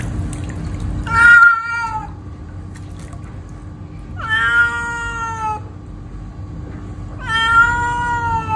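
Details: Domestic cat meowing angrily at bath time: three loud, drawn-out harmonic meows, each about a second long, rising then falling in pitch, spaced roughly three seconds apart, over a faint steady hum and low background rumble.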